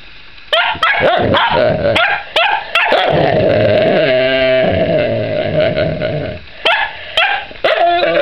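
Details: Indoors, a puppy keeps barking at another dog that is trying to chew a rawhide: quick, irregular sharp barks, a long strained growling whine in the middle, then more snappy barks.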